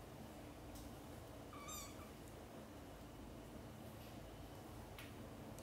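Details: Mother domestic cat calling her kittens, who are busy playing and sleeping, to wake up for lunch time; one short rising then falling meow near the middle over steady low background hum, with faint clicks.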